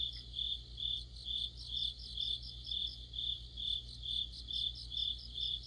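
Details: Crickets and other insects singing together in deepening autumn: high, shrill chirping pulses repeated about twice a second over a steady ringing trill, with a constant low hum beneath.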